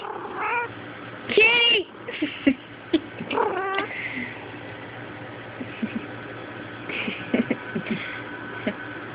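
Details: Kitty, a female pet cat who attacks her own tail about every five minutes, recorded on a Sprint Evo phone indoors; several rising-falling harmonic meows in the first four seconds, then quieter scattered sounds, with a person calling and talking to her.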